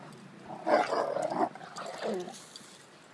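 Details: Rottweiler male displaying dominance toward a bull terrier: a short rumbling growl that swells, then fades into a softer, lower grumble.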